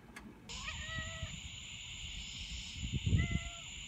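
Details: A domestic cat, meowing at its owner's feet indoors while soup steams on a cool, overcast evening after rain, gives two brief, slightly falling meows over a steady high drone and wind rumble.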